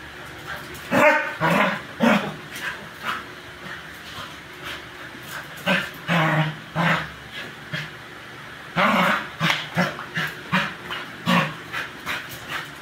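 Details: Two playing dogs, a young beagador and an adult American bully, racing around in zoomies; clusters of short barks and yips in bursts, quiet gaps between, grunting play noises.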